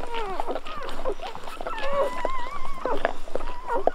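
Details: Golden Retriever puppies at birth giving thin, wavering squeaks and whines that slide up and down, overlapping in a busy chorus with rustling in the background.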